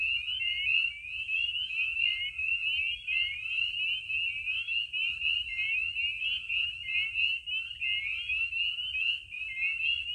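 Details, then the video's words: Spring peepers calling in a dense chorus by vernal pools in Maine on a spring night under the moon. Countless piercing high peeps blend into a steady, ringing wall of sound. "Soothing night sounds: Spring Peepers in Maine (Spring peepers under the moon)"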